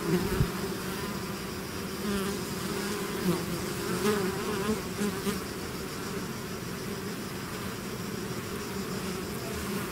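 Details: Honeybee-style swarm pouring out of its hive, a dense steady drone of many overlapping wingbeats humming low with a brighter harmonic band, small passing buzzes swelling and fading through the ten seconds.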